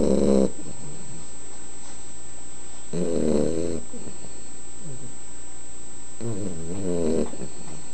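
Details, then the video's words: An 11-week-old sleeping Boxer puppy snores, giving three low, raspy breaths about every three seconds, with a faint steady high tone in the background. "Snoring puppy!!"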